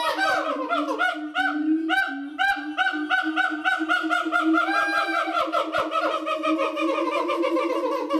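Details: Siamang couple calling at a Japanese zoo, December 2018, loud territorial screaming: a continuous rapid chorus of harmonic hoots and yelps, rising and falling in pitch, with no pause through the whole stretch.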